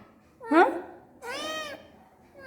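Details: Rowdy Rakkamma, a house cat, meows indoors during a power outage while being asked if she feels hot; a short human word comes first, then one long, level, slightly arching meow.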